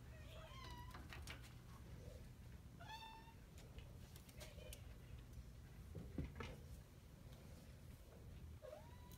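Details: Domestic Shorthair cat awaiting adoption at a shelter, giving several rising, harmonic meows spread across the clip, with a soft human voice and low background hum.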